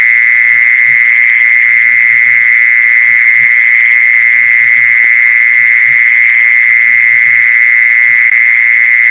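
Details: Mole cricket trill for drawing mole crickets in, heard as a steady, unbroken, high buzzing drone of constant loudness, with quiet low knocks scattered behind it.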